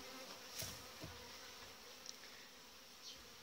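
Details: Well-developed honey bee colony with a breeding queen in its hive during July; a constant low, dense buzz with brief brighter swells as individual bees pass close, plus a short knock near the middle.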